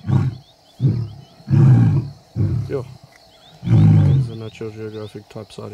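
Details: Wild lions of the Kambula pride and Ndhzenga males roaring at MalaMala Game Reserve, with deep low grunting pulses in a rising and falling series, roughly one every second, then fading grunts; people talk quietly nearby.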